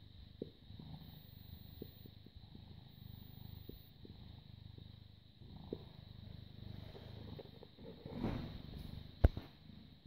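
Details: British Shorthair cat, born 18 August 2010, filmed 30 August 2017 in the morning while cuddling; soft low rumbling purr runs steadily throughout, with a few faint clicks and a brief rustle near the end.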